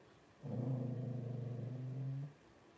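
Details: Blenheim Cavalier King Charles Spaniel puppy from a litter of five, twelve days old, born to Paris and Spike at New Year 2023; a low, droning, pulsing moan with a buzzy edge holds steady for nearly two seconds in a quiet room.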